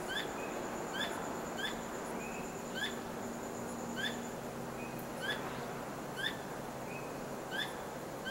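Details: A tail-wagging squirrel calls at night, not trapped. Sharp downward-flicking chirps recur every second or so, with a few thin whistled notes in between and a low steady hum under constant hiss.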